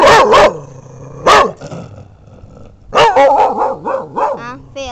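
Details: Dog in a somewhat angry mood barking loudly: two sharp barks, then a run of four or five rapid barks, with a man talking between them.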